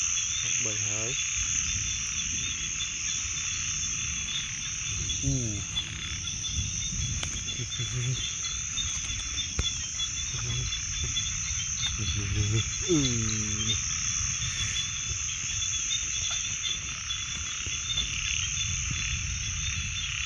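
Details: Frogs keep up a continuous high trilling chorus. Several low, rasping croaks rise over it at irregular moments, some in quick pairs, against a rumbling background.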